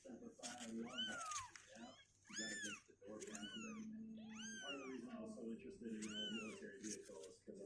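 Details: Sixteen-day-old kittens, now two weeks old and restless in their box, mew repeatedly indoors: five loud high mews, each bending up and down, coming roughly once a second above a steady murmur of human talk.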